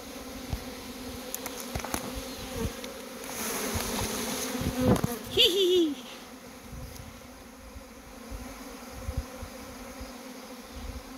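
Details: A dense, steady hum of many western honey bees buzzing together in a swarm issuing from a beekeeper's overwintered hives.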